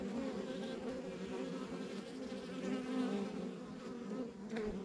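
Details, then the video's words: Steady drone of a rural backyard honey bee hive, many wings blending into one warm hum, a close bee briefly whining upward near the end, otherwise calm and continuous. "Relax to the Sounds of Our Backyard Buzzing Beehive"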